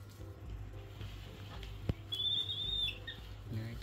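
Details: Baby monkey raised in a countryside home, hurrying to find food: a thin, high whistled squeal rising slightly and held for under a second, over low rumbling background noise, a sharp knock and nearby human speech.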